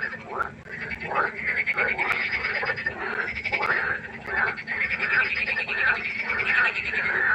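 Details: Night chorus of frogs at a pond: many overlapping croaks, rapid pulsed and raspy, forming a steady wall of calls with short rising notes repeated over and over.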